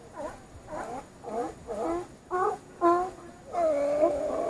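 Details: Sea lions calling: a series of tonal, wavering cries, roughly two per second, each with bending harmonics. The final call is longer and more drawn out, with a quiet background.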